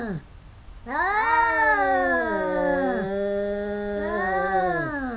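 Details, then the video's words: Two fighting cats yowl in a long, drawn-out wail with stacked harmonics, gliding down, holding a low steady tone, then rising again into a second howl; quiet indoors background. "แมวกัดกัน คู่นี้เหมือนลิ้นกับฟัน กัดกันเรื่อยๆ cats fighting"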